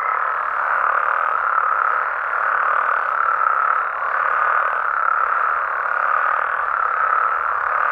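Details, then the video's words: Nighttime frog and toad chorus from Mexico: a thick wall of overlapping croaks that keeps a steady level throughout, pulsing slightly in loudness but never dropping out. "Mexican Frogs & Toads Sounds"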